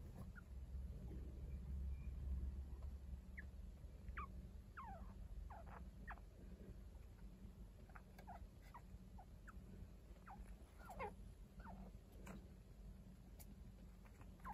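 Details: Chinchillas at home: Kaito, an unrelated adult who tends two lively one-week-old kits. Short, squeaky, rising chirps come scattered through the clip over a steady low room hum.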